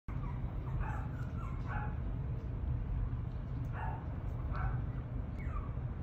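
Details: Chiweenie puppy, listed for sale by a breeder, giving short high yips and small barks in quick bursts, faint over a steady low rumble of background noise.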